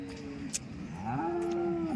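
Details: Dairy cow at the Loni cattle market, lowing in a short rising moo that levels into a sustained steady tone, over a background of market chatter.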